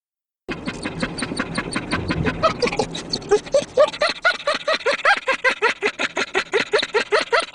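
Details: Dog laughing: a fast run of short, breathy, pulsed huffs, at first rough and noisy, then settling into a steady, evenly spaced rhythm of clearer voiced pants that continues to the end.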